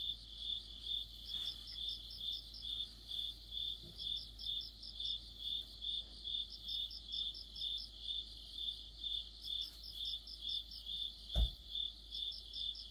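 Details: Crickets singing with other insects deep in autumn, rhythmic high chirps about twice a second, with intermittent bursts of a higher rapid trill and a brief dull thump near the end.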